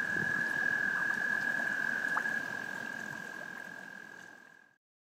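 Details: Frogs' mating call: a continuous, level, mid-pitched trill over a steady hiss, fading away to silence at the end.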